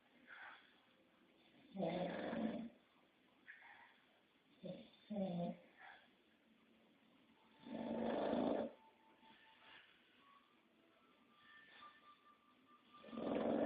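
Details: Snoring English Bulldog, with irregular rasping snorts of varying length, some short and doubled, others long and drawn out, amid a soft background hum and faint tonal sounds.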